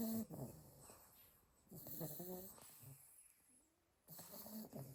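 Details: A litter of eight Staffordshire Bull Terrier puppies asleep in a pile, one snoring: raspy, buzzy breaths in long drawn-out bursts separated by quiet pauses, with a softer snuffling breath in between.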